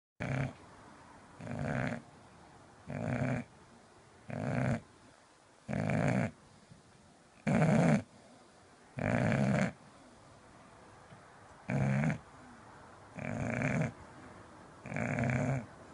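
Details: English bulldog sleeping indoors and snoring loudly: rasping, low snores come in steady bursts about every one and a half seconds, eleven in all, with a quiet pause between each breath.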